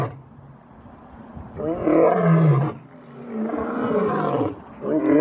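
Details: Lion. A lion roars in two long, throaty bursts, each swelling and fading over about a second. The deep rumble sits low, with a rough, grating edge and a brief quiet gap between roars.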